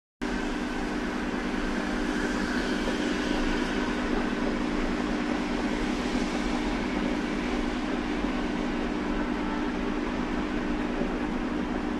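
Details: A steady, even whirring hum, like a hair dryer or fan, runs unbroken for the whole stretch with no animal voice in it.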